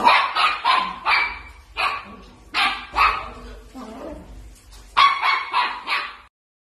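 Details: Miniature dachshund at play, giving a rapid run of sharp, high yappy barks, about eleven bursts in under seven seconds with short gaps, some rising into shrill yips; no other clear sounds.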